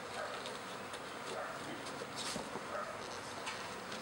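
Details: Kept honey bees swarming in a backyard in spring, half the overcrowded hive leaving with a new queen for a second hive: a dense, steady droning buzz fills the air, with a few brief faint chirps above it.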